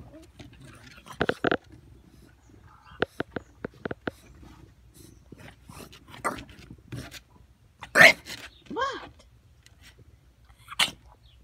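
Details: English bulldog puppies wanting attention: short whiny yelps and high whimpers in scattered bursts, some with curved, wavering pitch, mixed with a woman's soft talking.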